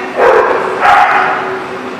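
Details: Two loud, harsh dog barks in quick succession at The Barking Lot, January 19, 2018, the second slightly higher and longer, each trailing off into a brief echo.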